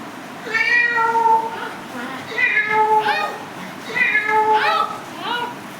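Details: Cat producing three drawn-out meows, each followed by short upward-sliding chirps, with soft voices audible underneath.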